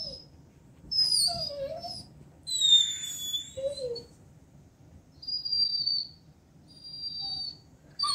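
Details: A female Vizsla whines in thin, high-pitched bursts, some bending up and down, others held steady.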